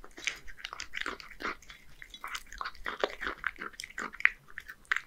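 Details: Hige, a one-year-old male Scottish Fold cat living in Japan, eats boneless horse mackerel mixed with dry food indoors: scattered wet chewing and crunchy bites, irregular and close, in a quiet small room.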